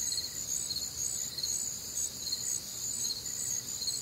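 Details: On a humid, warm summer night in the Midwest, crickets keep up an unbroken high trilling with pulsing chirps gently rising and falling in loudness, other night insects blending in.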